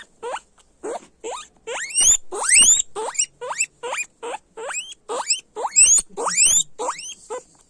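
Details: Guinea pigs squealing loudly: a series of sharp upward-sweeping whistled squeals, each rising steeply from low to high pitch, some longer and shriller, repeated irregularly about every half second with brief gaps between.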